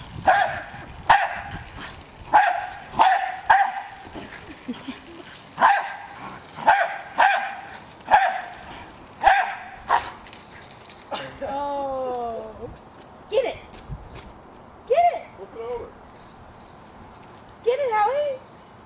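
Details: Jack Russell Terrier Hali, a pet female, goes after a remote controlled car with a steady run of short, sharp barks roughly every half second to second, then breaks into higher, wavering whines and yelps.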